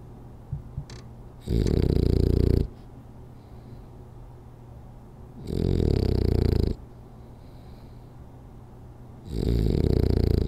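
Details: French Bulldog Rolly snores through a power nap: three loud, grating low snores, each about a second long and about four seconds apart, with small sniffs before the first and faint breathing between.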